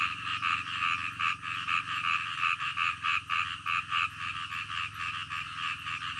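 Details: Frogs calling in the middle of the night with slower, distinct croaks about once a second, each a short buzzy pulse over a softer continuous chorus and low hum.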